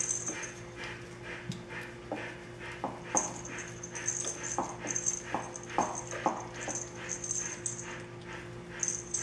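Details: Before bath time, a litter of 27-day-old puppies squeals and whines in quick overlapping bursts, high and reedy, mixed with soft knocks and scuffling sounds against a steady background hum.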